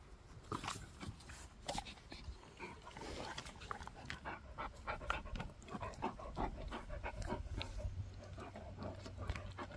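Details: A dog called Gorlock the Destroyer grunts and pants while eating and playing, with soft irregular snuffling bursts and chewing clicks throughout, a low steady hum underneath, and a man's voice briefly remarking afterwards.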